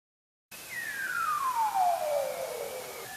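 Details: A bearded seal, recorded underwater on passive acoustic monitoring in the Arctic, produces a smooth, drawn-out trill gliding steadily from high to low over about two seconds, with a faint higher tone alongside against soft hiss.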